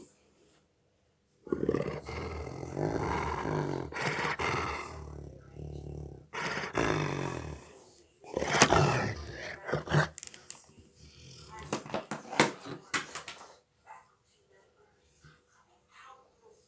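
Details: A Rottweiler gives long, deep, rumbling growls that swell and fade over several seconds while having his ears scratched, which he loves.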